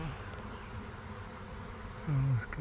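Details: Swarm of honeybees, a million bees, giving a low steady droning hum throughout, with a short louder swell near the end and a man's voice speaking nearby.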